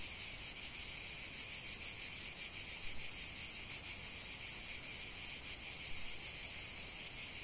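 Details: Chorus of cicadas filmed in nature as relaxing ambience: an unbroken, shrill electric buzz, rapidly pulsing about three times a second, holding an even loudness throughout without birds or people.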